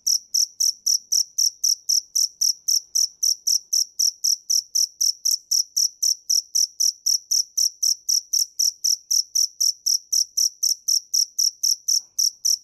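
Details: Cricket song as a long, uniform run of piercing high chirps, roughly four each second, steady in loudness throughout with nothing else audible.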